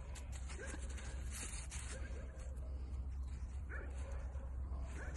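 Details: Playful pet Dachshund, a wiener dog, gives short, sharp yips and barks in quick bursts, partly masked by a steady low electrical hum that runs through the whole recording.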